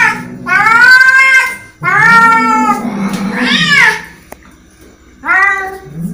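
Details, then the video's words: Angry cat uttering strident, drawn-out meows mixed with a rougher, lower yowling passage, then a quieter pause before a final sharp meow. "Angry Cat sound"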